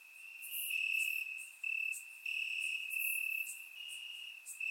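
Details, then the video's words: Warm summer night in Bulgaria with crickets chirping in grass, captured by a surround microphone; a shrill continuous trill in phrases of roughly a second, joined by softer overlapping chirps from nearby insects. "Cricket Sounds - Crickets Chirping at Night"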